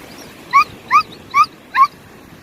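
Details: Samoyed dog on a family trip to Sokcho, South Korea, before her tumor surgery, lying on the beach; four short high whining yelps, each rising then falling, spaced about every 0.4 seconds over faint background noise.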